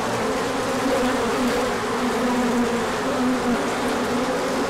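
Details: Large orientation flight of bees on 24 March 2024, sunny after cold days, foragers bringing in pollen: a steady swarm-like buzz, low droning tones rising and falling slightly, no other sounds standing out.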